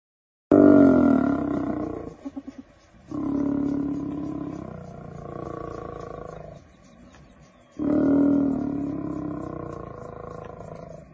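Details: A lioness facing many hyenas gives three long, rasping roars, deep and harsh, with brief pauses between them.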